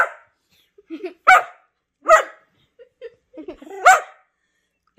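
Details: Two whippets playing together indoors; three sharp barks about a second apart, with softer yips and whimpers between them.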